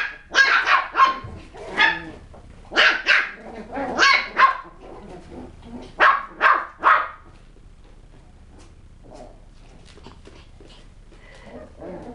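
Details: Westie puppies at a kennel yap in quick clusters of two or three shrill barks over the first seven seconds, then the sound drops to scattered soft yips and quiet rustling.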